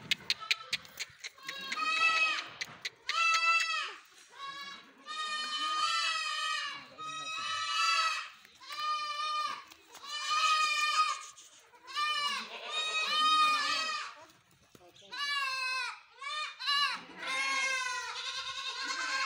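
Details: Several farmed goats bleating almost nonstop. Wavering, nasal cries follow one another closely and sometimes overlap, with brief quiet gaps near the middle and a burst of shorter bleats toward the end.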